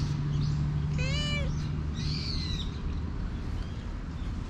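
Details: Stray cat running up and asking for affection, filmed with a GoPro HERO8; a single short bowed meow near the start, then faint bird chirps over a steady low hum.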